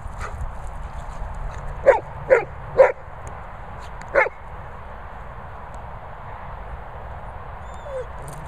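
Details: 'Talking' golden retriever gives three quick yelping moans in close succession, then one more after a pause, followed by several seconds of near-quiet with a faint high squeak near the end.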